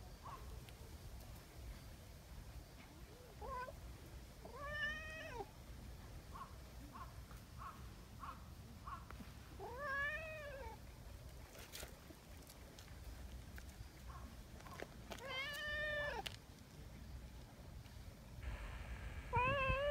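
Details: Three arched meows spaced about five seconds apart from Nyahha, a tabby community cat, after a spell of seeking affection, with soft chirps between them and rustling and handling noise throughout.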